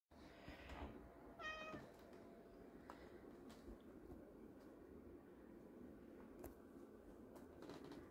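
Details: A black domestic cat gives a soft, brief chirp, or trill, in a quiet room, asking for treats at afternoon treat time while they are taken from a container.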